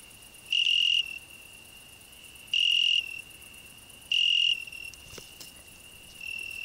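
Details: A cricket on a rose bush, with a grasshopper also singing there, gives loud, pure, high trills in bursts about every two seconds.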